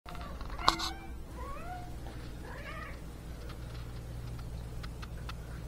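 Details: Talkative pet cat meowing indoors, apparently wanting to say something: after a sharp knock, a series of short, rising-then-falling chirping meows, trill-like, over about two seconds against a steady low hum.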